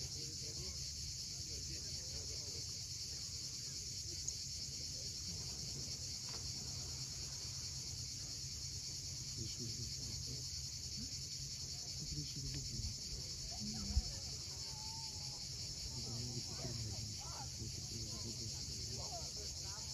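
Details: Cicadas calling at sunset on the steep sea coast of Cape Fiolent, Crimea: a steady, unbroken high buzzing drone over the low rumble of waves, with a few faint scattered bird notes.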